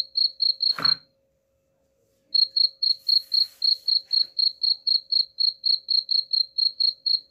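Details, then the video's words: Cricket chirping offered as a rat repellent: clear, high, evenly pulsed chirps about four per second, broken by a short silent gap and a sharp broadband click before the chirping resumes. "suara jangkrik pengusir tikus ampuh"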